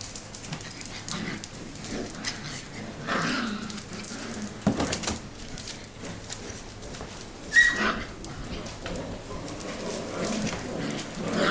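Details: Six-week-old Mini Goldendoodle puppies from Biscotti and Leo's litter, playing together after wrestling outside; scuffling bursts, soft whimpers and one brief high squeak late in the play, with steady rustling underneath.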